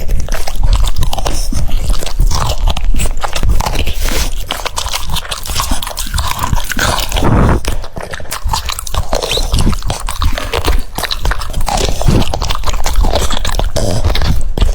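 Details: French Bulldog eating cucumbers, recorded up close: loud, continuous crunching and biting, dense bursts of chewing throughout with a short quieter lull around the middle.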